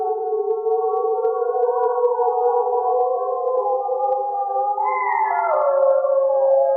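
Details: Several gray wolves howl together at night in the northern forest of Voyageurs National Park, giving long, smooth, overlapping tones that waver and slide downward; howls rally the pack, defend territory and keep wolves connected.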